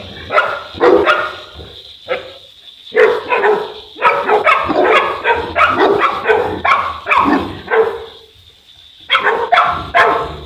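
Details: Boerboel, or South African Mastiff, one of a male and female pair living in Egypt, giving deep, rough barks in quick bursts of several, with short pauses between the bursts.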